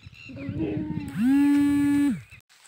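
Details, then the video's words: Sirohi goat giving one steady, sustained bleat of about a second, with a rich harmonic tone that rises at the start and drops off at the end, preceded by a rougher, lower vocal sound. "goats chirping"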